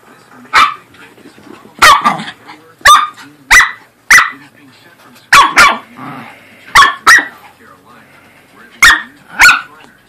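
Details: Playful corgi and Pomeranian barking during rough play, about a dozen short, sharp barks spaced irregularly, some in quick pairs, with faint low growling and a voice in the background between bursts.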